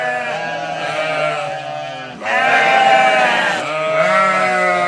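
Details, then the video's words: Flock of sheep responding to a farmer's calls, continuous overlapping quavering bleats, a brief dip then a louder surge of voices midway. "Farmer Calling His Sheep"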